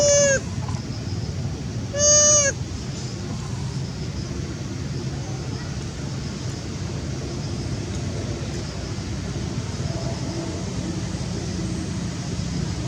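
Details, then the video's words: Young monkey mother crying for her missing baby: two brief, clear falling wails near the start, then only steady background rumble and hiss. "Young mum still weep cos not see baby very terrible sound"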